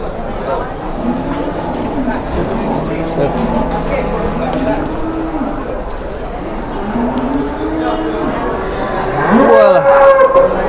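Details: Giant cattle at Pasar Jelok livestock market in Boyolali, Indonesia, giving several low, drawn-out moos that bend in pitch, overlapping with men talking and general market bustle.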